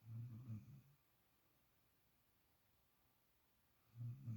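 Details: Sleeping puppy, a pampered pet dog resting in a spot normally taken by another dog, gives low, throaty snores, one at the start and another near the end, with a quiet indoor pause between.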